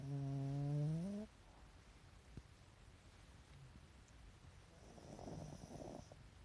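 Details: Sleeping Pekingese dog with eyes showing white: one clear low, humming snore rising slightly in pitch at the start, followed by quiet breathing and a faint, soft exhalation later.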